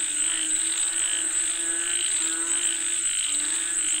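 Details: Frogs calling for rain: a dense chorus of overlapping pulsed, croaking calls throbbing steadily throughout, with a constant high, thin insect whine above.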